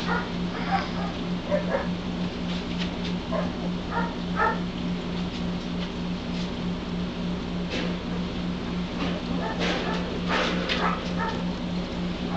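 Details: Newborn White Shepherd litter at 11 days, now moving around and starting to open eyes and ears; repeated high, wavering whimpers come in clusters, busier near the end, set against an unbroken low hum.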